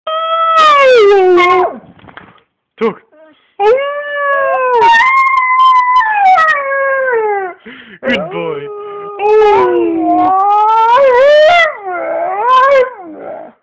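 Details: German Shorthaired Pointer, a pet dog, howling like a wolf: long wavering tonal howls that slide downward, broken by short gaps, then rising and falling yodel-like notes, loud and clear indoors.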